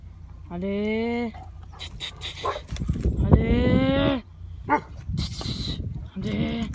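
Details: Kangal dog calling: a drawn-out, rising harmonic howl of under a second, then a second longer howl that falls away, with a person's voice, rustling and low background noise between them.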